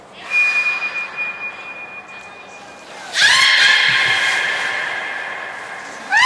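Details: Beluga Nana in a training session at Port of Nagoya Public Aquarium, 13 April 2019. A thin, steady whistle-like tone lasts about three seconds, then a loud, rich squeal sweeps upward and holds, and a second rising squeal begins at the end.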